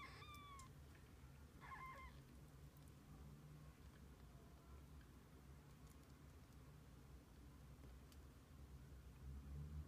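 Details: Kittens with their mother cat, spending the day together: two clear, high, harmonic meows, the first drawn out and slightly falling, the second shorter, both within the first two seconds, then only a low steady hum.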